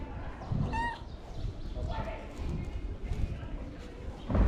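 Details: Long-mustached ginger cat that wants love and food gives one brief, high, downward-sliding meow early on, then quieter faint mews over a rumbling outdoor background with soft thuds.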